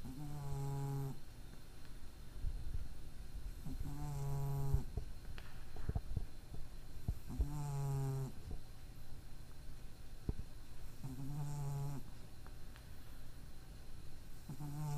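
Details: Five rasping, low snores from a sleeping cat with a small nose defect, each around a second long and coming every three to four seconds in a quiet room. Recorded 23 April 2012.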